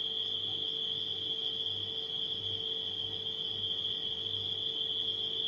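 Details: Nighttime crickets in a steady, unbroken high-pitched trill at one constant pitch, layered over the low, even hum of a household refrigerator.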